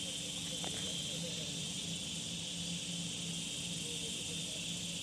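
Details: A dense, even wall of high cicada buzzing, described as a rain noise bug making a huge sound, carries on without pause over a faint low hum.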